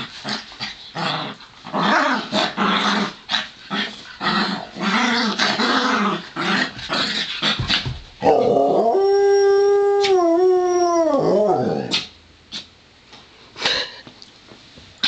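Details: Romeo the Pomeranian and Joplin, a Ridgeback mix, wrestle in play; choppy growls and grunts lead into one loud, drawn-out howl lasting about four seconds that wavers slightly midway, followed by more scuffling growls.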